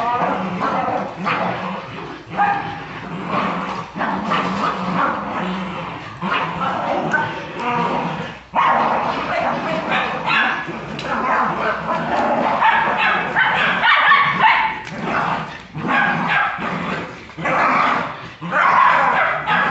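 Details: Brazilian Jagdterrier giving excited runs of harsh barks and higher yips, with short whimpering notes between bursts. Human speech runs through much of the recording, and there is a brief quiet gap near the middle.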